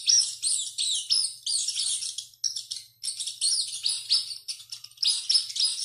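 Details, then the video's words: Rat screaming heavily while running, giving bursts of piercing high squeals and downward-sliding chirps, broken by two short pauses near the middle. "SOM DE RATO CORRENDO E GRITANDO MUITO"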